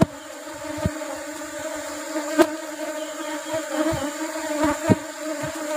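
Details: Asian honey bees (Apis cerana) during a rubber-flower honey harvest; a softer, steady humming drone with faint overtones, punctuated by a few scattered knocks roughly every second or two.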